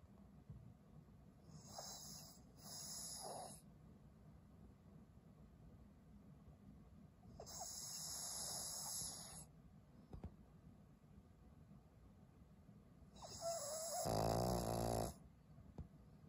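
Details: Twelve-year-old fawn Pug Maria, a senior female dog in Japan, February 2023: rhythmic snoring breaths, one double breath then two longer ones spaced several seconds apart, the final one louder and nasal with a faint whistle, over low steady hum.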